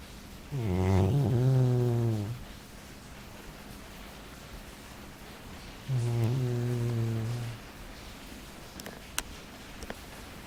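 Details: A sleeping Labrador snoring; two long, drawn-out, harmonic-rich snores with a low, buzzing, slightly falling tone, each lasting about one and a half seconds, separated by quiet breathing.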